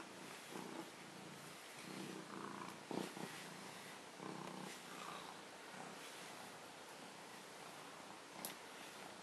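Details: A male Maine Coon cat purrs in a low, steady rumble that swells and eases with each breath while being brushed, which he loves.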